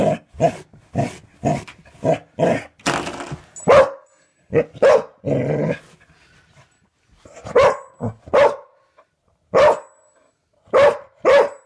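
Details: Barking dog indoors, provoked by a repeatedly flicked doorstop; quick volleys of short sharp barks, a growling stretch midway, then spaced single barks with brief gaps.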